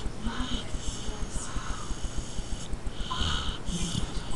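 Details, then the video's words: Carmela, a little dog, snoring indoors: wheezy, rasping breaths repeated a little more than once a second, with hissy inhale and exhale bands and faint low murmuring underneath. "Carmela Snoring (My little dog) NOT!!"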